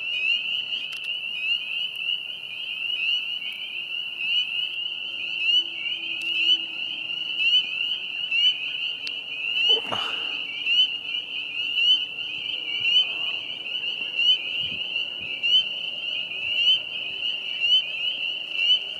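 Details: Spring peepers singing at a vernal pond in April 2020, a loud high-pitched chorus of repeated rising peeps, roughly one per second standing out, with a short swishing noise midway.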